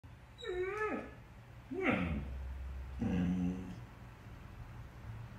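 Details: Samoyed puppy giving three short whining yelps across about four seconds. Each is a harmonic cry that bends upward and then drops away, over a steady low hum.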